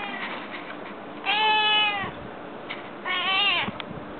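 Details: Pet cat, a female that meows far more often than other cats, indoors: two clear, rising-then-falling harmonic meows about two seconds apart, with soft clicks and room noise between them.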